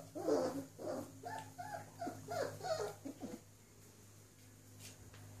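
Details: Five-week-old collie puppies give a quick run of short, whiny whimpers and yelps, roughly eight in three and a half seconds, then fall quiet over a steady low electrical hum.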